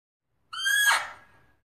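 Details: Single Fea's muntjac bark, a loud, hoarse, ringing cry lasting about a second, strongest at the start and tailing off gradually, with no other sounds.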